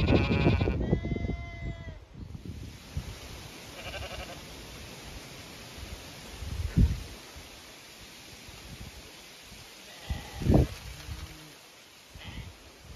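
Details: Zwartbles sheep flock on a regenerative farm in County Kilkenny, Ireland, expecting to be moved to fresh pasture; a harmonic bleat opens loudly, then fainter bleats around four seconds, with low rustling and handling noise throughout.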